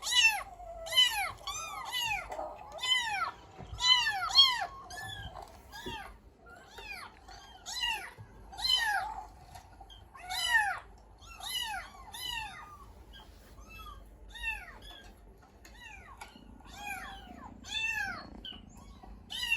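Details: Pet cat answering a meow recording played from the internet: a steady run of bright, arched meows, roughly one every second, short and clipped, with faint background hiss.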